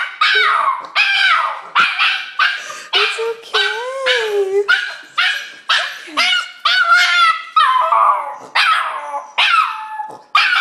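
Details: Lucy, a dog welcoming her owner home, lets out rapid strings of short yelping whines and squeaky bark-like cries, about two per second, with a warbling moan partway through.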